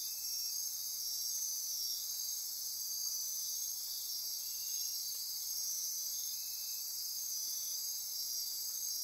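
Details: After dark in Costa Rican rainforest by Corcovado National Park, insects keep up a thick, high ringing drone, overlaid with pulsing trills and occasional lower buzzy phrases that come and go.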